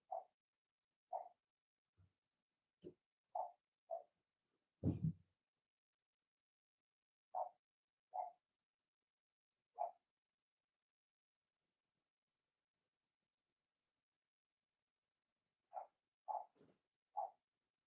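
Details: Cavalier King Charles Spaniel puppies, Blenheim, from a first litter of six born in March, in a home pen during potty training; clusters of short squeaky yips, a dull thump, a long silent gap, then three more yips.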